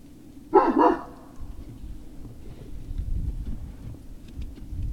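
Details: Great Dane puppies recorded on 19 February 2019 around 7:45 in the evening: two quick, loud barks in close succession, then a low rumbling background hum.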